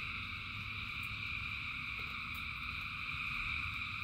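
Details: Thousands of frogs singing in rain: a dense, unbroken chorus of steady high trilling layers stacked at several pitches, over a low rumbling wash of rain with occasional faint drips and clicks.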